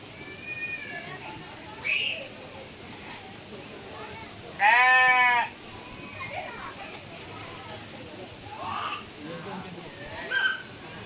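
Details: Goat bleating while pooping: one loud, rich bleat lasting under a second midway, surrounded by faint voices and background noise.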